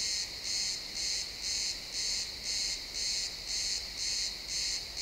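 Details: Sunset in a pine forest, crickets chirping, high-quality XY stereo recording: rhythmic high-pitched chirps about twice per second, each a short shimmering burst, against faint rustling woodland background.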